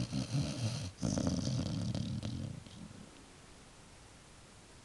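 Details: A dog falling asleep gives two low, growly snoring rumbles over about three seconds. Quiet breathing follows, then a sudden click at the end.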